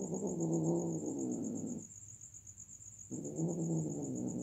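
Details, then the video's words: Domestic cats during mating give two long, low, droning growls with a rough, wavering tone, separated by a short pause, over a steady high insect hum. "Momen Lucu dan Menggemaskan saat Kucing Sedang Kawin"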